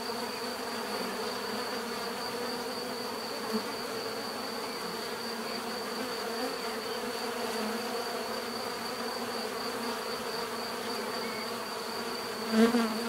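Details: [['Continuous natural buzzing of bees, a steady humming drone with harmonic layers, ending with a short louder burst as one bee passes close by.']]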